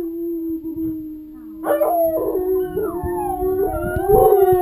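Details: Two pet dogs howling along with wolves on television, a behaviour said to strengthen the pack bond; a steady low howl is joined by rising, wavering higher howls that overlap and slide downward.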